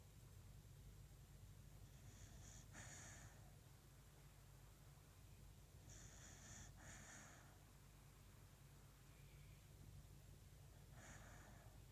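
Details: Coco the beagle sound asleep on a cold morning indoors, soft hissing breaths coming in pairs every few seconds over a steady low hum.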